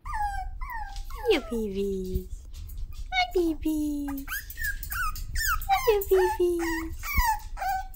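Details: Toy Poodle puppies at six weeks, said to be mad or sassy, whine in long downward-sliding tones that alternate with shorter high squeaks. A soft voice and background hum sit beneath.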